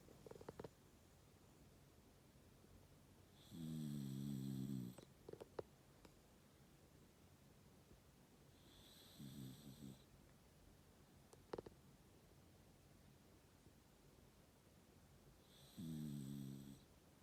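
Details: Sleeping Shiba Inu snoring indoors: three deep, rasping snore bursts about six seconds apart, each around a second long with a buzzy harmonic rattle, separated by quiet breathing and a few soft clicks and rustles.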